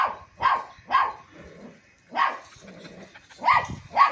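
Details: A long-coat German Shepherd on a goat farm in Bahawalpur gives loud, clipped barks in small clusters, three barks, a short gap with faint low murmuring, then more barks, each one abrupt and harsh.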